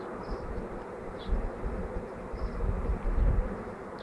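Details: Swarm of bees on May 24, 2011, a continuous thick droning buzz throughout, rising slightly in loudness toward the end, with low rumbling gusts of wind beneath.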